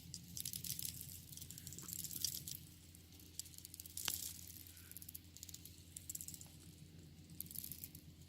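Termites make a dry, crackling rustle of irregular ticks and rattles over a steady low electrical hum.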